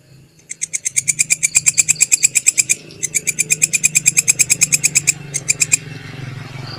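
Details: Belalang kecek grasshopper, used as tutor audio for cage birds, gives bursts of rapid, even, rasping pulses broken by short pauses, over a faint low hum in the background.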